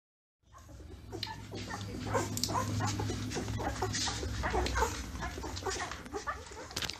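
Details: Newborn Labrador Retriever puppies nursing: a litter of overlapping high, thin squeaks and short whimpers, with wet suckling clicks throughout and a steady low hum underneath after a silent start.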